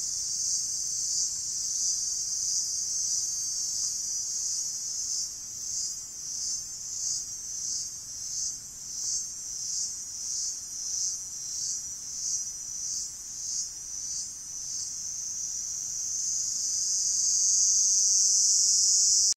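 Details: Cicadas in gigantic trees on the lower slopes of Rinjani give a loud, high-pitched call, a shrill buzz pulsing about twice a second before swelling into a steady drone.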